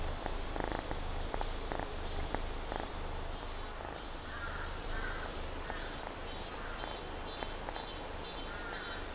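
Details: Sleepy kitten that still wants to play, among cats worn out by rain, heat and humidity; a steady low rumbling purr runs throughout, with faint tonal blips and scattered clicks above it.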